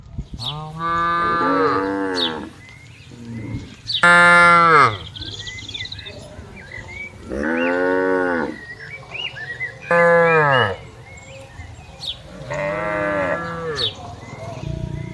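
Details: Tame herd of cattle grazing on an expansive meadow: five long, deep moos, one roughly every three seconds, with faint bird chirps between them.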